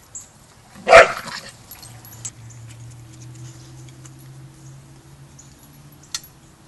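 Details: Border Collie at Border Collie Boot Camp during young pup Rammstein's first lesson with the pack, learning pack etiquette: one sharp, loud bark bursts out early, followed by a low steady hum and a faint click later.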